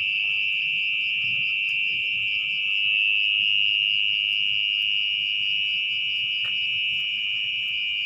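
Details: Orong-orong, the mole cricket, singing at night from beneath soggy earth while its burrow is excavated. A continuous shrill buzzing trill runs unbroken at a constant high pitch. A soft click sounds near the end over faint low background noise.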